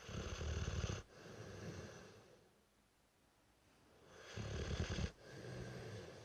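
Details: Brewster, a 3-year-old Dorset Old Tyme Bulldog, snoring his head off: two long, loud, rasping snores with deep rumbling low tones, separated by a quieter wheezy breath in between.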